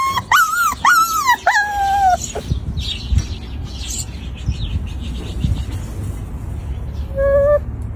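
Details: Crying Shiba Inu puppy gives three clear, high, arched whimpers in the first two seconds, then goes quiet amid soft low room noise before one last short level whine near the end.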